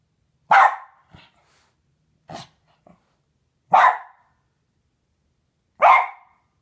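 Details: West Highland White Terrier barking while guarding his owner against a fly, which he hates: four loud, sharp single barks spaced one to two seconds apart, with soft grunting huffs in between.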